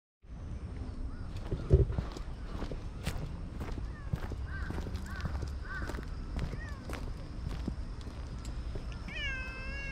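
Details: Stray black-and-white hachiware cat in the middle of a park path, being petted on a walk; one short rising-then-falling meow near the end over low rumbling outdoor noise, with faint repeated caws in the background.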